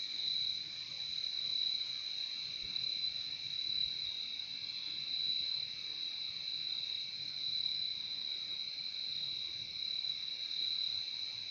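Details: Crickets trill without pause in a calm natural soundscape, a thin piercing high tone with a gentler lower band, swelling and easing slightly in loudness.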